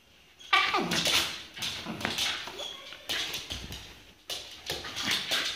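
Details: A Shiba Inu boxing in play gives a short whine that slides downward, followed by scuffling, quick tapping and bursts of hissy rustling from the tussle.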